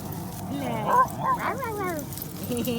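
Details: Basenjis, four of them running and playing together at a dog park in 2019: a string of wavering, warbling whine-like yodels sliding up and down in pitch, with people talking and laughing over the play.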